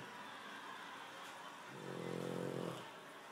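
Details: A Boston Terrier snores in harmony with a man snoring, giving one low, rattling breath that swells and fades over about a second.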